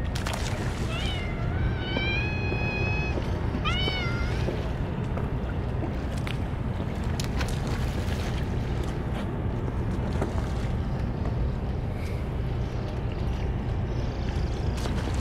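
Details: Stray cats crowding around for a Churu treat feeding, more of them than usual; two clear meows close together near the start, the first long and level, the second short and upturned, then steady low rumbling noise.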